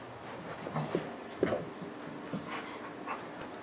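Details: Macey, a female dog visiting a house, making the noise she gives early in the morning and late at night, around 3 a.m.: short soft whimpering, snuffling bursts at irregular intervals, low and breathy, with faint room rustle.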